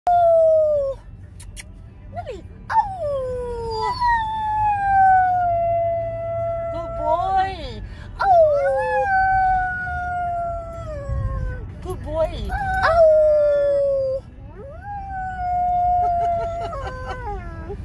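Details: A 6-month-old American Doberman howls along with a person singing. Long, sliding, wavering tones rise and fall in a series of drawn-out phrases that overlap the human voice throughout.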